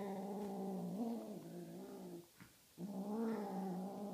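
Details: Tonkinese kitten playing with a feather toy, growling a long low droning moan that wavers and rises, breaks off briefly, then resumes in another drawn-out growl; a person speaks just after.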